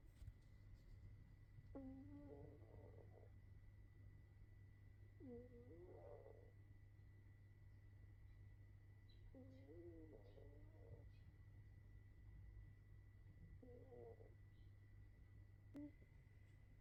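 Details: Loud snoring from a sleeping cat: four drawn-out, wavering harmonic snores spaced roughly four seconds apart, over a constant low electrical hum in a quiet room.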